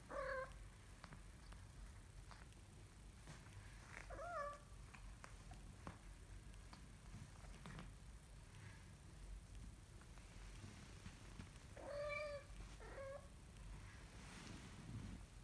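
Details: Young kitten learning to walk utters short, bright meows in small bursts, one at the start, a pair near the middle and a cluster toward the end, separated by long quiet stretches with faint tapping and soft indoor background noise.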